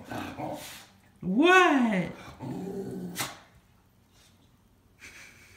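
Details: One of two miniature schnauzers gives a drawn-out, arching whine-bark that rises then falls, greeting its owner coming home, who talks back to the dogs.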